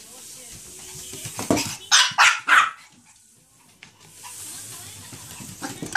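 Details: Chihuahua Choco, thrilled by a Quickle Wiper floor wiper, fires off three quick high barks in a row near the middle, then falls quiet amid faint indoor noise.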